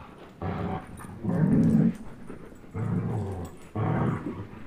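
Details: Two pet dogs, Chase, a 10.5-month-old German Shepherd, and Blizzard, a one-year-old Old English Sheepdog, playing tug of war; deep rumbling growls in four sustained bursts, each about a second long, the second loudest, with short quiet gaps.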